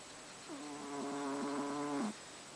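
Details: A sleeping house cat named Haru lets out a single long snore, a humming, reedy tone held about one and a half seconds with small wavers, rising in loudness before stopping abruptly; only faint background hiss otherwise.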